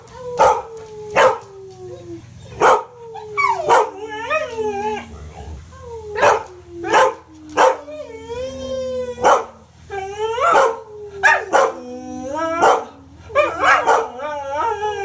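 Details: A 12-year-old Australian Shepherd 'singing the blues': long sliding howls that glide slowly downward, repeated in phrases every few seconds, with warbling higher notes between. Sharp percussive hits sound throughout.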